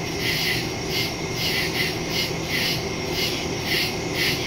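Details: Night woodland insect chorus of crickets, September 2, 2023, Samsung Galaxy S22 Ultra and Shure MV88+ stereo microphone; high trilled chirps come in quick bursts about twice a second against a steady dull background hum.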